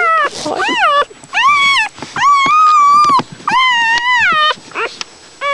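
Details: Newborn puppies while nursing: a series of short, arched whimpers and one longer level whine, with softer rustling and snuffling sounds in the gaps between cries.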